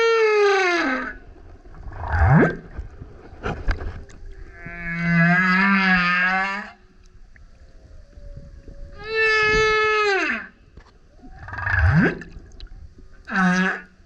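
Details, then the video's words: Male humpback whale singing super loud near a kayak, alternating falling harmonic moans, upward-sweeping grunts, a buzzy burp-like pulsed note and short bright cries, separated by quiet gaps with water noise. "Singing Whale is LOUD - BURPS, GRUNTS, HOWLS + ROARS! Listen as he comes up singing next to kayak"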